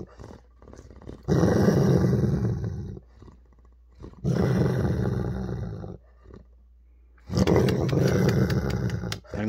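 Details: Holder, a Weimaraner dog, growls while annoyed over his ball, snapping when provoked: three long, low rumbling growls of about two seconds each, separated by pauses, with a person speaking and some music in the background.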